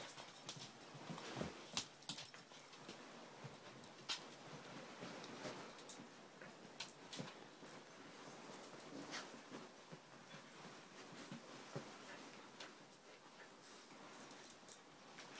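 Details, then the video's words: Play fighting between two Siberian Husky puppies, Angel (five months) and Riley (three months): brief rough growls and whimpering bursts amid scuffling, uneven in timing, with quieter stretches between. "Husky pups playing"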